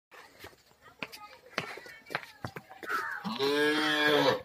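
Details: Red-coated Kangayam heifer at the two-tooth stage gives a loud, drawn-out moo that swells and then falls over about a second. It follows several seconds of people talking nearby.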